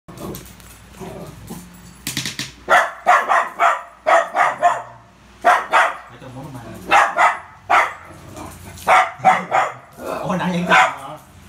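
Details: Poodle playing with a ball, giving short sharp barks in quick bursts of two or three, with quieter gaps between and faint background sounds.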